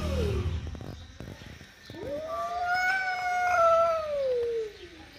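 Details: Angry mother cat with her kitten, one long wailing howl that rises, holds steady for about two seconds, then slides down and fades. Scuffling, knocking noises come before it.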